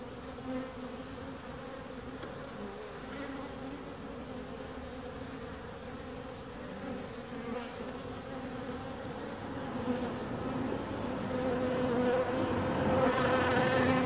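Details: A continuous droning hum of bees, even and layered, swelling gradually louder in the final seconds as a higher whining tone joins in.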